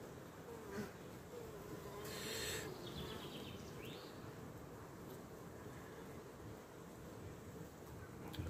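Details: A swarm colony of honey bees in a skep, seen inside while a little smoke is used, building fresh white wax comb: a constant low droning hum with brief puffing and handling noises.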